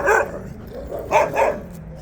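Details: Three quick barks from a Jindo dog during a walk, one at the start and a close pair about a second later, over low outdoor background noise.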